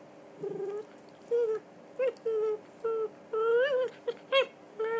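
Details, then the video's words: Three-year-old red toy poodle Donut, a female, whining through the usual game: a rapid run of eight or more short, thin whines, some rising and falling, separated by brief pauses. "Donut and Her Whine"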